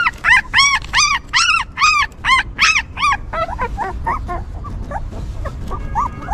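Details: A stray mother dog's newborn puppies whimper as she tends them. The first half brings strong arched whines about twice a second, then softer, shorter squeaks follow over a low background rumble.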